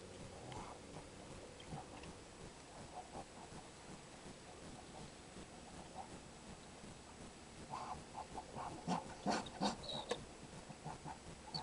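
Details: Skunk calling at a feeding window: faint low snuffles at first, then a louder cluster of rough, huffing grunts and sharp broadband puffs near the end, loosely repeated.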